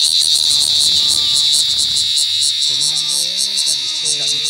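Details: Loud, continuous high buzzing from a giant cicada caught in a field, droning with a slight pulsing flutter while a man talks in Indonesian over the second half.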